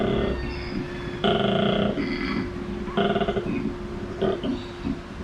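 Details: Koala at a wildlife park in Port Douglas near Cairns, Australia, bellowing in deep, pig-like snoring grunts. Bursts of about a second alternate with short gaps, and a steady low hum runs underneath.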